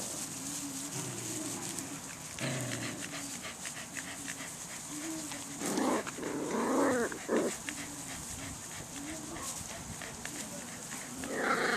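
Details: Swedish Vallhund puppies aged five to six weeks, giving soft, low whimpering whines in short drawn-out phrases, with brief louder bursts of rustling and movement between them, in a quiet indoor setting.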